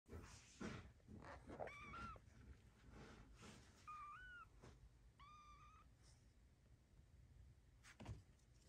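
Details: Three young Ragdoll-cross kittens (two female, one male), whose father's line includes Highland Lynx, play boisterously indoors, giving a few high, thin mews that rise then fall among soft thumps.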